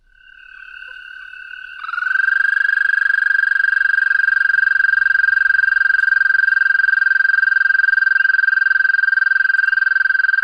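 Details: An American toad gives a long, steady, high-pitched musical trill on one even pitch, a call heard in spring and at times through summer.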